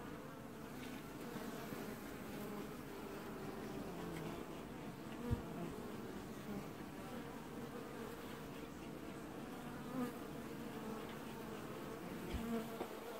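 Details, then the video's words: Honey bee colony washboarding at the hive in an apiary, early July 2019; a steady low hum of many bees with a broad buzzing texture, a few soft knocks now and then. "Washboarding Bees"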